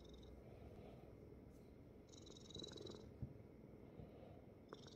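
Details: Korean Shorthair kitten, rescued from a construction site, lying on dad's belly and purring indoors: a continuous, pulsing low rumble, a soft airy hiss swelling midway, and one small click.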